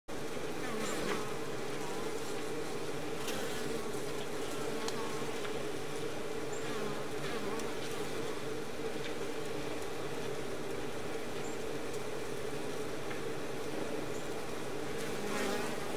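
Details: A cluster of Western honey bees (Apis mellifera) on the front of an established hive gives a dense, steady, low droning hum of wing buzzing with no breaks.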